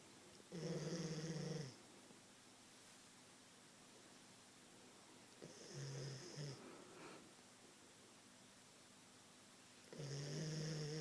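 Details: Queensland Koolie asleep indoors snores with low rumbling breaths, a long one, a shorter broken one, then another long one, separated by quiet pauses.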